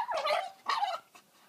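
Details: Female Staffordshire Bull Terrier greeting an arriving visitor in great excitement, making odd talking barks: two drawn-out, bending whine-like yowls followed by a brief fainter yip, moderately loud indoors.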